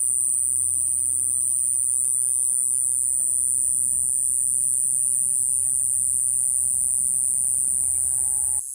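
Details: Mogannia minuta cicada recorded in Okinawa, Japan, giving a steady, very high, unbroken buzzing song that runs through the whole stretch, with a faint low rumble underneath.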